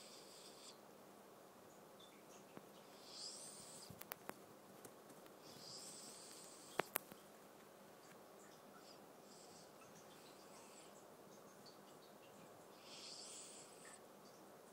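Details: Pet cat Awar, eldest in the home, breathes hard in a dream: rhythmic soft hissing breaths roughly every three seconds, with several sharp ticks and clicks scattered through the quiet indoor background.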